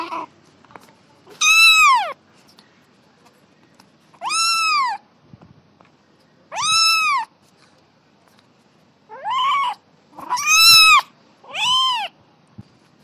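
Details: Kitten meowing while playing: six high, arched harmonic meows, each about half a second, spaced roughly two to three seconds apart, the later ones coming closer together; quiet background.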